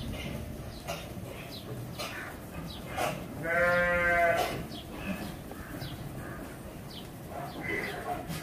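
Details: Single drawn-out, quavering bleat from goats being fed on a goat farm in Virar, Mumbai, rising out of steady background hiss and scattered clicks and thumps.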